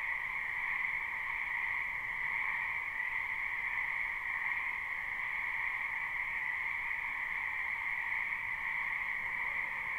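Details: Many frogs croak together in a spring wetland, recorded live with no looping. A continuous, even hum of massed calls holds in two bands throughout, smooth and unchanging, with no other sounds standing out.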